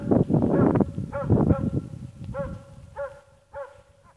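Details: Ackers Åndorra, a dog called Schampoo, amusing herself. Heavy scuffling and thumping noise covers the start, then single clear harmonic yelps follow about every half second, fading out.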